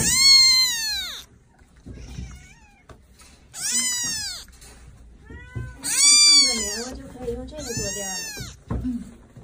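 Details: Kittens meowing loudly: four high, clear meows, each starting high and sliding down in pitch, with softer, shorter mews between them and a low murmur under the later calls.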